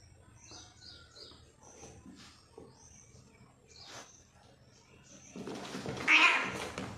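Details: Two brother cats fighting: thin, scattered meowing cries over quiet background, then a loud, harsh, noisy outburst near the end, with a person speaking.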